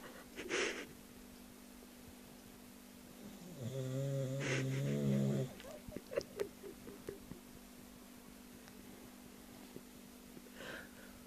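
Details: Snoring dog that sounds like a human: one rattly, harmonic snore lasting about two seconds near the middle, preceded by a brief breathy puff and followed by scattered soft clicks over a constant low hum.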